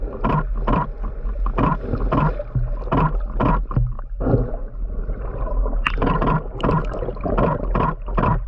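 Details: A huge male sperm whale gives a steady train of sharp, knocking clicks, loud metallic bangs unlike females' ticking, over a deep underwater rumble; a camera shutter is also audible.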